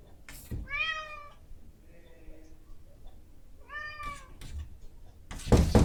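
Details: Female house cat demanding breakfast at 7 a.m., captured with a Zoom H5 recorder: two clear, tonal meows about three seconds apart, each bending downward at the end, with soft thuds and a burst of door scratching at the close.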